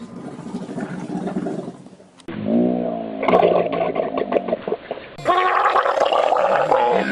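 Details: Camel growling and gurgling: a low rumbling roar, then a bubbling, gargling stretch with rapid pulses, ending in a louder, sustained, screaming bellow.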